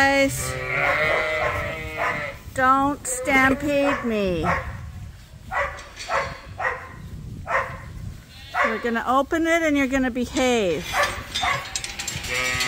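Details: Sheep at Ewetopia Farms in a morning pile-up waiting to be let out to pasture for the first time this year; loud, wavering harmonic bleats in overlapping bursts, a long run early and another late, with a human voice nearby.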